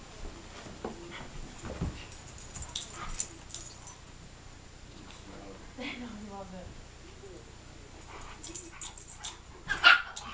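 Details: Two dogs, Reggie and Riley, one big and one little, at play: a drawn-out whine with stacked falling tones near the middle, scattered short yelps, and human voices talking throughout.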